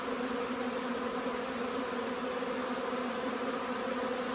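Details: Huge honey bee swarm arriving: a dense, steady buzzing hum with no pauses, layered low and mid tones holding throughout.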